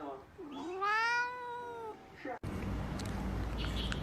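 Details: Talking cat giving one drawn-out, tonal meow that rises and then sinks over about a second and a half, followed by an abrupt cut to a louder, hissy background with faint music.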